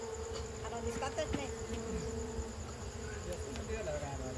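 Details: Honey bees humming softly at night as honey is removed from their nest after Lebaran. A quiet, level drone carries through, with faint murmured voices in the background.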